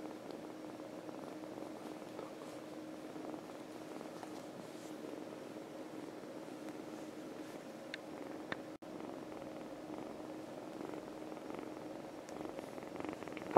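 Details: Stray kitten, one of four found outdoors that day in Veliky Novgorod and now seeking owners, purring while held indoors: a soft, steady, continuous low rumbling hum with faint room noise and a brief click near the end.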